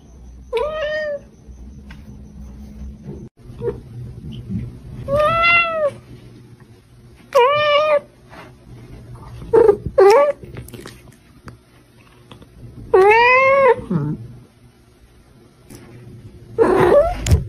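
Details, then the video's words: Pet cat meowing repeatedly indoors: loud, drawn-out rising-then-falling meows with rich harmonics, about five calls across the stretch, separated by quiet pauses with faint low room hum. "my cat's meow"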